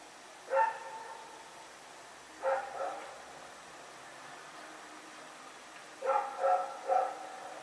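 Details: Dog named Rex barking while running around at night, Pyrga, recorded September 21, 2018: a lone bark, another about two seconds later, then after a pause three quick barks in succession, over a quiet night background.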